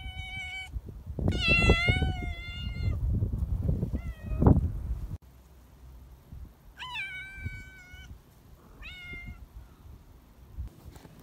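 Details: Pet cat on an evening storm patrol in nasty weather gives a string of meows, some short and rising, others drawn out and falling, over rustling and thumping that fades to a quiet background.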